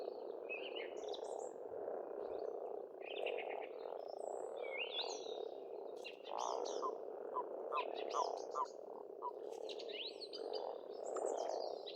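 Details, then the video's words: Spring frog chorus at an Estonian pond, an unbroken mass of low croaks, with varied whistled bird phrases and rising notes scattered over it. "Расслабляющее пение птиц и лягушек, весна, природа."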